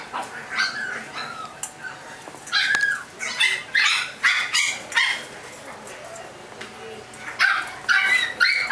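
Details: Chihuahua puppies from a California breeder yapping in shrill, clipped bursts, roughly two barks a second at uneven spacing, with brief quiet gaps and a trace of background talk.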